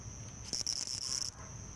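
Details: A male house cricket singing at its burrow entrance on a summer evening at Hammam Lif, Tunisia: one bright pulsed high chirp of about 0.8 seconds over a faint steady background trill.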